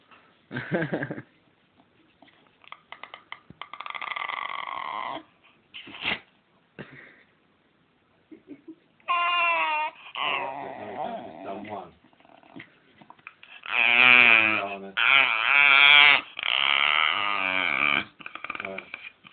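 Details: Dog 'talking' and copying noises while asking for more belly strokes: a series of long, wavering, yowl-like moans that rise and fall in pitch, separated by short pauses and soft grumbles, growing louder and higher toward the end.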